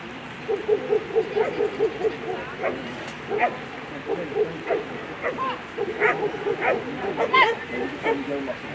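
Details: German Shepherd Centa v Wetterauer Land during a Sunday A3 run at the World Championship Agility for German Shepherds; short, mid-pitched barks come in irregular bursts over steady crowd murmur and background voices.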